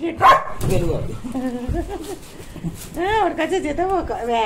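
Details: Playful young Labrador Retriever, called little and very naughty, at home: short yelping barks and whiny, arching cries around the third second, with Bengali speech running through much of the recording.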